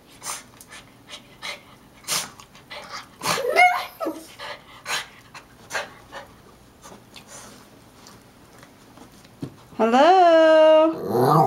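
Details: Kodi, a Yorkie/Maltese, upset at getting no attention while greeting at the door alongside Gizmo, a Shih-tzu/Maltese: light panting and taps, a brief whine, then a long, loud, high wavering whine, with a person talking to the dogs.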